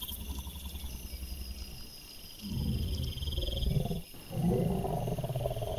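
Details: Male wild boar caught by a trail camera on 28 September 2024, giving low, rough grunting and snuffling in two dense bursts of about a second each, over a steady background of high, thin insect chirping.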